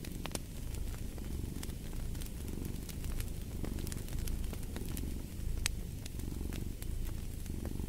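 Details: Continuous low purr of a cat, rumbling and gently pulsing in breath-paced waves, set against frequent snapping crackles of a fireplace fire.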